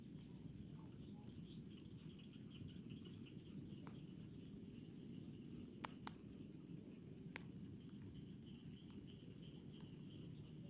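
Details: Crickets in rice fields, calling in rapid, high, dry chirps strung into fast pulsed bursts. The bursts break into a short pause near the middle, then resume. A faint low rumble of background noise runs underneath.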